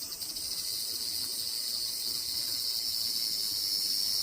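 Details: Continuous high, frying-pan sizzle of a large brown cicada, even in loudness and slightly swelling toward the end, with a fine rapid pulsing throughout.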